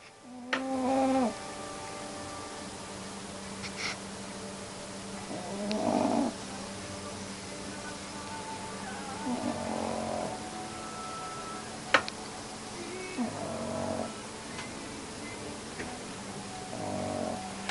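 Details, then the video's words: Sleeping dog snoring, with soft breathy rasping bursts roughly every three to four seconds over a low steady hum, plus a few faint clicks. "Snoring dog"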